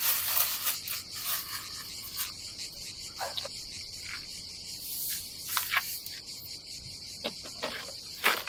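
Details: Cicadas at a Croatian campsite above the Adriatic Sea in summer keep up a bright, continuous pulsing buzz, while scraping and rubbing noises from camp chores come and go.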